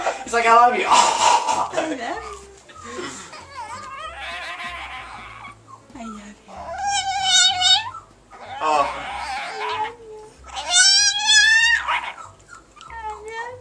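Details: Chihuahua indoors trained to 'talk', answering repeated spoken 'I love you' with short drawn-out whining howls that bend up and down in pitch, mixed with human speech, laughter and background music.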